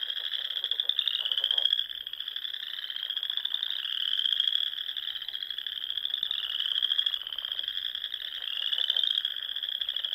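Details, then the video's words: Frog chorus in spring from the Sandhills of Nebraska, rolling dunes dotted with small lakes and ponds where waterfowl roost at dusk; a dense, continuous high trilling band with slowly rising and falling pulses, repeated swells every couple of seconds. "RELAXING SOUNDS OF FROGS"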